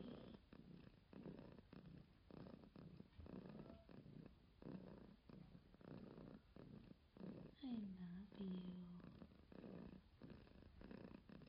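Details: A cat purring, a low rhythmic rumble pulsing in long breaths about once a second, with a brief higher whine near the end.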